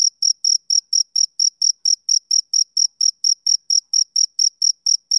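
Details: Rhythmic chirping of a male cricket in summer evening conditions: bright, high-pitched pulses evenly repeated at about four a second, clean and uninterrupted.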